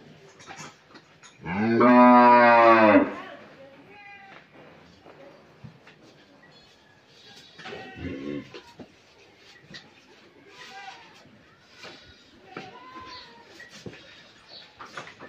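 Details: Pregnant Friesian dairy cow in Pabna, Bangladesh, expecting her first calf: one loud, full-throated moo of about a second and a half, followed by quieter farmyard sounds and faint low calls.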